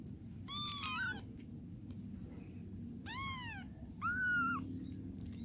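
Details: Mother cat cleaning her kittens and helping them urinate indoors; three clear, tonal meows, each rising then falling. The first two are arched, the last is flatter and held. Steady low background hum throughout.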